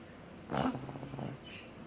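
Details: Sleeping pug giving one snore: a short, raspy snort gives way to a low, buzzing drone that lasts about three quarters of a second, then fades into quiet background hiss.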